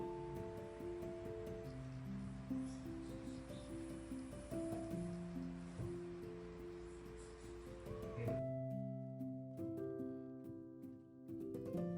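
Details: Steady melodic music of sustained low tones fills the recording, with a soft rustling hiss underneath and a brief drop in texture near the eighth second; no animal voice stands out.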